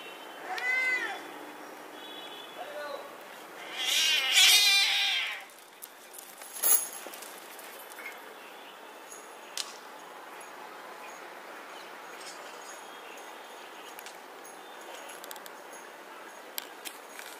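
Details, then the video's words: Domestic cats fighting on a road: a short yowl early on, then a loud harsh hissing burst around four seconds, followed by quieter outdoor background with occasional clicks and knocks. "Real Cat Fight | Dangerous Fight 2022 | Cat Fight with Real Sound"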